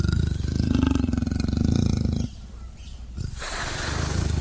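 A leopard makes a low, gravelly rasp built from fast throbbing pulses, held for about two seconds. It cuts off sharply, and a soft outdoor hiss follows.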